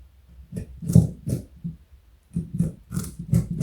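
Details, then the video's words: Carrot being crunched by Joey, a large pet rabbit of 4.6 kg and over 60 cm, indoors: quick crisp bites come in two bursts with a brief pause between them. "Joey is Eating Carrot and Yawning. Cute Bunny."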